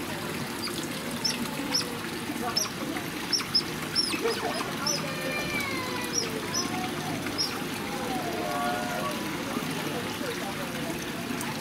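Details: Asian small-clawed otters (Aonyx cinerea) at Himeji Central Park, Hyogo, on 11 February 2019 give sharp, high chirps and squeaky whistles in quick, irregular bursts, over a low murmur of voices and trickling water.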